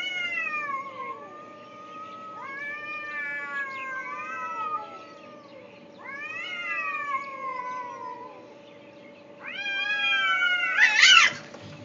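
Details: Two cats calling in Afghanistan, 2010, heard by a soldier returning to a tent; four bursts of loud, drawn-out caterwauling meows that swoop up then fall, the last louder and harsher, with a faint steady hum beneath.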